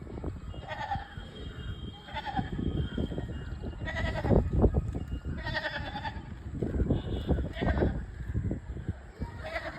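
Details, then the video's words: Trapped goat bleating in distress, harmonic wavering bleats recurring every couple of seconds, mixed with background music and laughter. "बेजुबान बकरी बेचारी आज फस गई"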